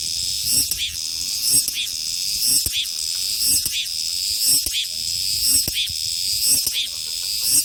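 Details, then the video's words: Summer cicada chorus, a steady bright high-pitched drone overlaid with regular swelling buzzes about once per second, the rhythm holding even throughout. "여름 매미소리"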